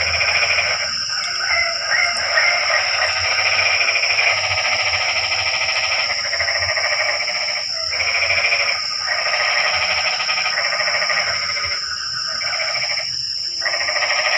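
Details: At night in the rain, frogs keep up a continuous, raspy chorus of rapid pulsed croaks, pausing briefly several times before resuming, with a persistent high insect whine throughout.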